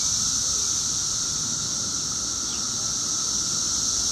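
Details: Brief stretch of a 17-year cicada chorus at peak loudness two weeks after emergence: a constant shrill whir layered over a lower steady whine, with no pauses.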